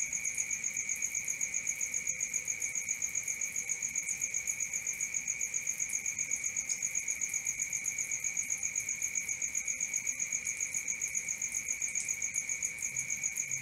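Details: Steady cricket chorus after dark, shrill pulsed chirps repeating quickly and regularly over a constant high-pitched hum, nothing else audible.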